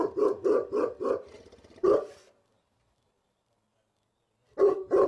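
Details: Cane Corso named Cotto guarding by the gate, alerted by unseen window cleaners next door: a rapid string of four or five heavy barks tailing into a growl, a pause, then two more barks.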